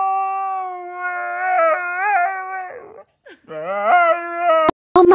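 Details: Siberian Husky being dramatic, holding a sustained, wavering howl with repeated little pitch bends. It breaks off briefly, then resumes with rising, yodel-like inflections and ends in sharp yips.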